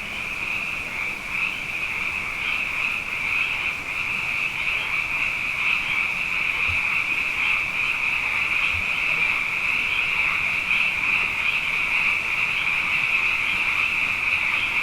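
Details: Abundant frogs calling at night after two wet years in a row: a dense, unbroken chorus of high trilling croaks, overlapping continuously with a steady shimmer and a lower harmonic band beneath. No other sounds stand out.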